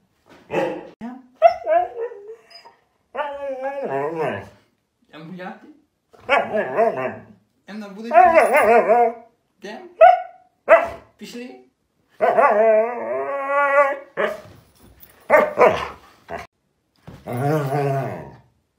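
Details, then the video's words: Husky dogs, described as crazy and hyperactive, vocalize indoors in a run of wavering, harmonic howls and yowls. Each lasts about one to two seconds, with the pitch sliding up and down, separated by brief silences and a few short yips. "Husky dogs Crazy and Hyperactive"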